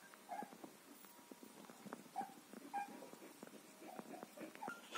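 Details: Border Collie puppies from a litter dated 14 March 2021, parents Wiki and Crystal Mountain: soft, short, high squeaks and faint whimpers scattered through the clip, quiet against a low background hiss.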